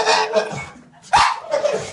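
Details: A pit bull standing in a bathtub gives rough, strained cries and yelps in short bursts, begging for water while a woman uses the bathroom sink.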